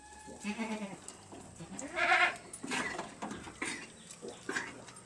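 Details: Bleating from month-old goat kids being taught to eat corn offal: a quavering cry early on, a louder bleat at two seconds, then shorter calls amid rustling.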